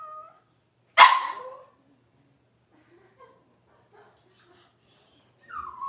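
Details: Six-week-old Cavalier King Charles Spaniel puppy during deworming and nail trimming; one loud, sharp yelp breaks the silence, faint soft noises follow, and a thin, falling whine closes it.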